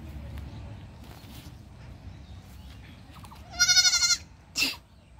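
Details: Goat presented as talking like a person, giving one loud wavering, quavering bleat of about half a second, then a shorter harsh cry, over a low rumbling background.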